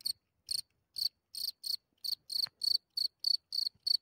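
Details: Cricket at night, recorded close up from a few centimetres as it comes out of its hole, nature of Germany; bright high chirps with a harsh overtone, pulsed bursts repeated roughly twice a second, otherwise quiet.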